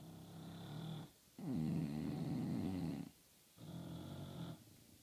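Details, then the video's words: English bulldogs snoring loudly indoors: low, rumbling breaths in three long bursts, each rattling snore lasting one to two seconds and separated by short quiet pauses, the middle one loudest and roughest. "English bulldogs snoring, no video, just loud snoring"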